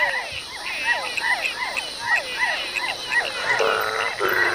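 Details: A great night chorus of hundreds of frogs and toads of different species singing together deep in Ecuador's tropical forest: many overlapping downward-sweeping croaks repeated about twice a second, with a steady high insect-like hum and a burst of rasping notes near the end.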